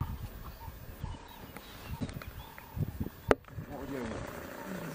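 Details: Big male lion chased from his territory by younger lions, giving low rumbling growls in short uneven pulses, with faint bird calls, murmured voices and a sharp click near the end.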